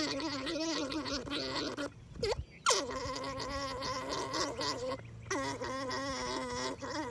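A male alpaca orgles, a steady gurgling, wavering drone made during mating.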